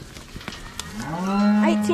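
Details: A cow on a farm while cattle are moved home gives a long steady moo that swells to loudness after a few knocks and clicks, ending with a brief voice.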